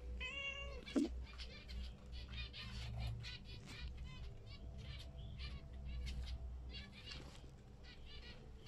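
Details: A female domestic cat indoors meows while watching pet zebra finches, as if trying to talk to them. One drawn-out, falling meow opens the recording. Many short, nasal finch calls follow throughout, with a low background hum.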